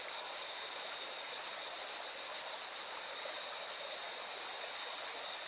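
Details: Rushing mountain river in Valencia, Spain, dominates, while singing cicadas add a steady high, shimmering buzz with quick regular pulses throughout.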